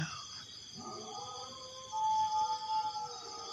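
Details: Dog howling late at night in front of a house. The drawn-out, steady tonal wail swells louder in the last half of the clip, over a constant shrill insect chorus.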